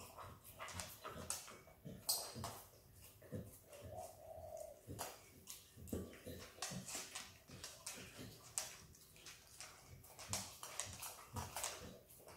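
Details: Izzy, an Australian Kelpie x Border Collie puppy, eagerly licks peanut butter; sharp, crisp smacks and wet clicks come in dense, irregular bursts, with a brief tonal whine partway through.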